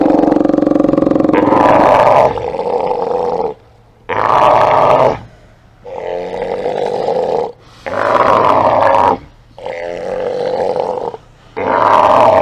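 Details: A group of Steller sea lions hauled out, filmed by a live cam on 24 September 2018: long, loud, growling roars lasting one to two seconds each, separated by brief pauses, several animals calling in turn.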